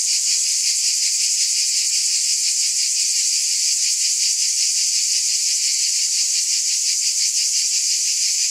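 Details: Steady shimmering drone of cicadas, high-pitched and continuous, with a soft regular throb running through it and no pauses.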